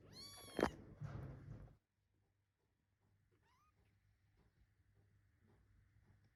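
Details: Munchkin kitten, weighing 558 g, calling while looking for its mother who is away: one loud, bright rising-falling meow with strong harmonics, a shorter softer cry after it, then near silence with faint room noise.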